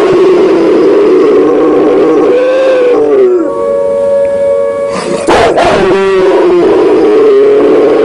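A Rottweiler gives a long, wavering howl that swells and dips in pitch rather than sharp barks.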